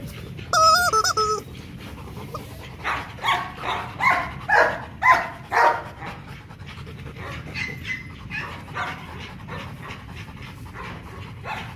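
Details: Male Rottweiler Loki, about two and a half years old, at play in the Gervi Kennel: an opening high, steady whine, then a series of rough, breathy barks about once a second, fading into quieter whimpers.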